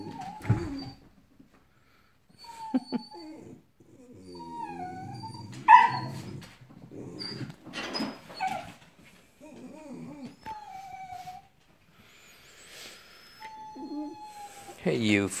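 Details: Several dogs whimpering at a squirrel in the morning heat. Thin, wavering whines come in short separate bursts, some rising and then dropping, with a few sharp yips and a man's voice briefly between them.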